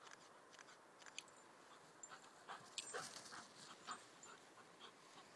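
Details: Two dogs at play, Odin, a nine-month-old German Shepherd, and Mia, an English Springer Spaniel puppy, in Odin's first play with a puppy since leaving his siblings; quick breathy panting with brief soft whines and scuffling sounds.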